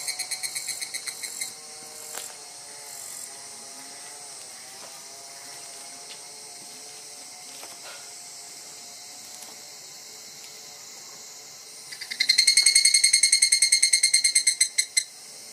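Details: An evening cicada (higurashi, "kana-kana" cicada) gives rapid, ringing pulsed trills over a steady high insect drone, filmed from very close range.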